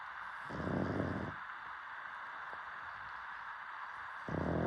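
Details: Sleeping dog snoring: a buzzy, low, harmonic snore lasting under a second, then quiet breathing, with another snore starting at the end.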